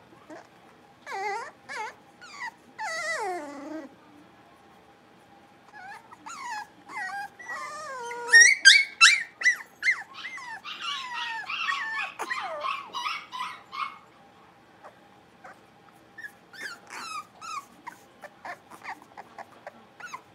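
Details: Five blenheim Cavalier King Charles Spaniel puppies at play in an indoor puppy pen: clusters of rapid high yips and sliding whines, a busy loud stretch of overlapping yaps midway, then scattered quieter yips after a short lull.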